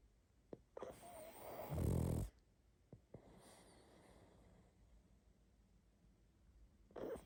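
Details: Pug snoring in its sleep: small clicks and a rising snuffle lead into one long, rough, grunting snore. Soft wheezy breathing follows, then a brief snort at the end.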